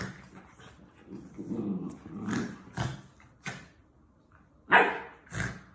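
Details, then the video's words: Puppies playing with each other: scattered short yips and sharp barks, a low rumbling growl early on, and a loud bark burst near the end followed by one more yip, with quiet pauses between. "Puppies Playing"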